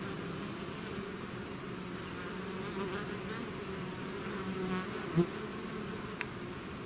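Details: A bee swarm emerging from the hive keeps up a steady low drone of wings; one bee zooms close with a sharp rising buzz, followed by a faint click.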